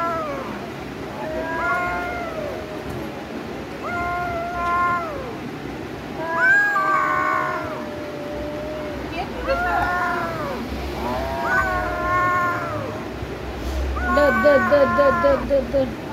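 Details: Domestic cats gearing up to fight give repeated yowls, each rising then falling, about one every two seconds, ending in a rapid pulsing growl-like wail; people talk nearby.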